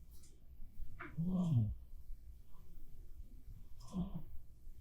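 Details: Black cat named Bapfuri snoring while asleep indoors: two low, throaty rasping snores, one around a second in, another near four seconds, separated by quiet breathing.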